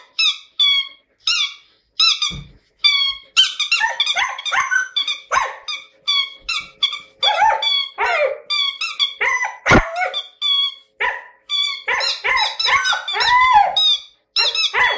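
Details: Long spell of Siberian Husky singing by Jasmine in a lyrical mood: rapid chattering, squeaky and warbled notes tumbling one after another, pitch sliding up and down, with only short gaps between phrases.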